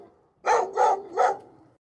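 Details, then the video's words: Dog giving three quick sharp barks in a row, evenly spaced within under a second. "dog. The dog says woof."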